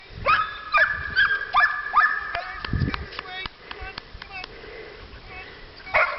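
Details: Puppies almost six weeks old on their first walk give short, high, harmonic yips and whimpers in a quick irregular series, mostly in the first two seconds, with a person calling them along and footsteps.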